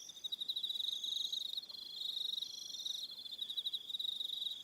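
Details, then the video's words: On Aroha Island, New Zealand, crickets trill through the evening, a bright sustained high buzz punctuated by quick rhythmic chirp trains from several callers. "Relaxing Evening Sound of Crickets"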